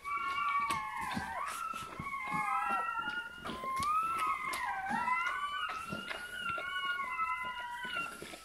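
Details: Newborn Bernese Mountain Dog puppy squealing just after birth indoors, a steady stream of thin, bending whines that dip and rise again, with faint rustling and a quiet voice behind.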